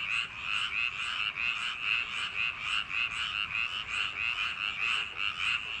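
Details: Summer-night paddy field frogs in full chorus, with bright, grating croaks repeated in quick pulses about twice a second and many callers blending into one unbroken throbbing sound.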